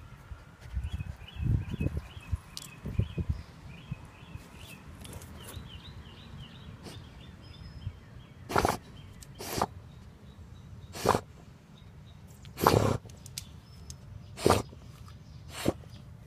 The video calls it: Basset Hound Sniffing and Snorting